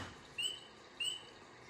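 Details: A spring peeper, a tiny frog that is one of the first animals to wake from winter sleep in spring, gives two clear, high, upward-slurred peeps about half a second apart, its throat bubble inflating.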